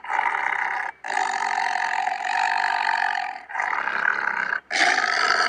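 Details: Malayan tiger: three long, sustained, harsh roaring calls with a strong mid-pitched, buzzy tone, separated by brief silences, with no deep bass.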